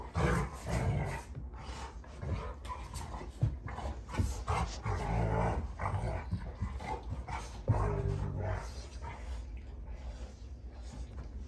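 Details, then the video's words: Play fight between Rottweilers June and Kenai at a homestead ranch: low gravelly growls pulse in rapid repeated bursts, with sharper huffs standing out now and then. "Rottweiler WWE SMACKDOWN! (June Vs Kenai)"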